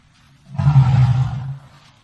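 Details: African elephant producing a deep, low-pitched rumbling roar lasting about a second, with a faint overtone above the heavy bass.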